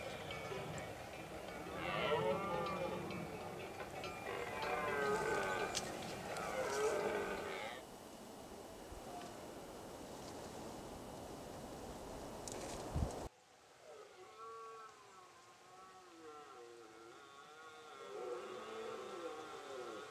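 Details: Pyrenees red deer stag roaring in the rut at the end of September. A run of strong, grating bellows is followed by quieter, more distant wavering roars, after an abrupt drop in background noise.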